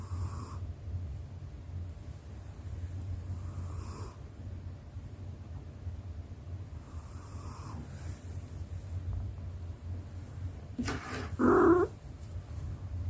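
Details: A pet cat, female, snores softly in her sleep: faint breathy snores roughly every three to four seconds over a constant low hum, then a short louder snort near the end.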